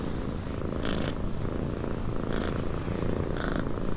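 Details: Rumbling purr from a cat sheltering in a windy cabin, the low throb steady throughout and punctuated by three breathy pulses, wind hissing behind.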